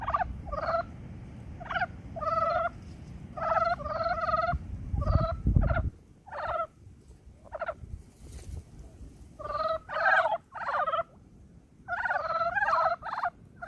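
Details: Brown frogs calling in early spring, a chorus of short, throaty, clucking croaks in bursts of several notes, with quiet gaps between groups and low rumbling background noise.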